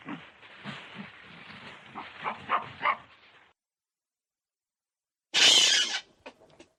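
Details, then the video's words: Baboon giving a run of low, rough grunting calls for about three seconds, then, after a short silence, one loud, harsh, bark-like shriek followed by a few faint clicks. "Tunog ng BABOON | Sound of BABOON"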